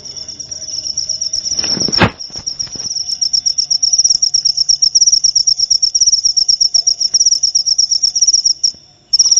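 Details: High-pitched cricket trill from a recording for insomnia relief and rat deterrence. A loud low thump interrupts near two seconds, then fast, regular shrill pulses continue steadily before pausing briefly at the end.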